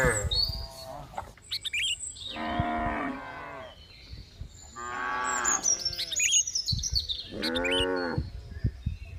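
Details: Three separate cow moos spaced a few seconds apart, each nasal and harmonic with a slight fall at the end, accompanied by busy chirping and twittering of small birds.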